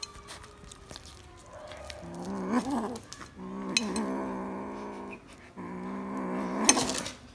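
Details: Panthiras, a little black kitten, reacting to corn indoors: three sustained low growls, each lasting one to two seconds with short pauses between, plus scattered clicks and rustling.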